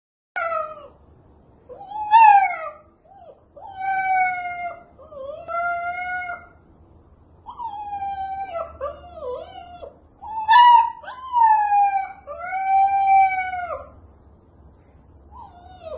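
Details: Husky puppy barking in a demanding, arguing tone: a run of drawn-out, yodelling howls and whines, each bending up and down in pitch, some wavering, coming in bursts of one to two seconds with short pauses between.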